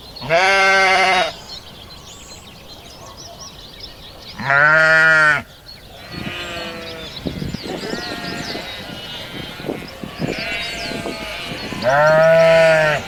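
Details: Sheep on a farm giving loud, wavering bleats about every four seconds, each roughly a second long, with quieter bleating and rustling noise between them.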